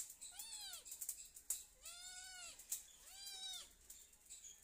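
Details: Domestic cat meowing loudly and continuously: three drawn-out, arching meows, each rising then falling, spaced about a second apart, over a background of sharp clicks and faint rustling.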